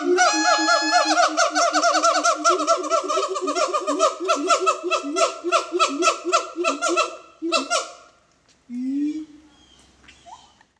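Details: A siamang at the Metro Zoo gives a rapid series of loud, hooting barks that rise and fall in quick succession.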